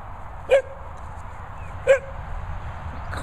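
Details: Two short, sharp barks about 1.4 seconds apart from a dog at a Worcestershire countryside training and boarding kennel, where a Sprocker and a Labrador named Barney and Zeus live, over a low steady background hum.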